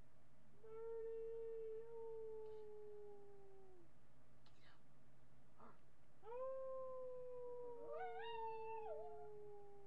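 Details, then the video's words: Marty, a miniature pinscher, howls at a webcam on July 8, 2011: two long steady tones, each about three seconds, slowly sliding downward, then a wavering, yelping rise near the end. "Marty howling min pin"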